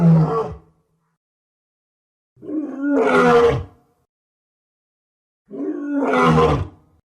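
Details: Lion giving three separate roars, each a deep, rough, grunting surge about one to one and a half seconds long with a falling tail, separated by two-second silences.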